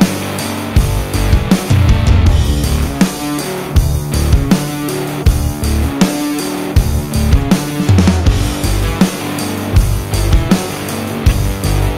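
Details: Loud heavy rock music with distorted guitar and pounding drums fills the whole recording, and no animal can be heard.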